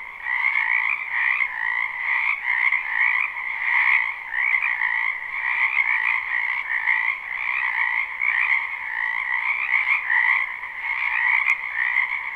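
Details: Frogs in a spring wetland behind a house, captured live with no looping, croak in a thick continuous chorus of rapid trills, gently rising and falling in loudness, one faint click near the end.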